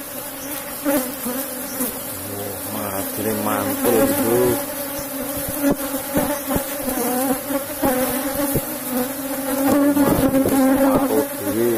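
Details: Asian honey bee colony in a wooden hive box during a honey harvest, a steady mid-pitched droning hum with overtones, wavering in loudness, broken by knocks and handling clicks.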